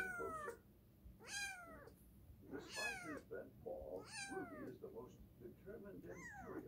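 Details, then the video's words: Cat meowing repeatedly indoors: five loud, falling, wavering cries at about one-second intervals, each starting high and dropping, with faint murmur and room hum underneath. "Edgar the cat, here me roar"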